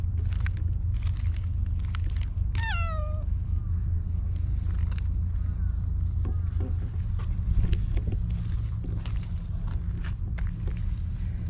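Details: Affectionate stray cat in a park meows while being petted: a single clear, bright meow that bends downward and fades, followed by soft rustling and handling sounds over constant low background rumble.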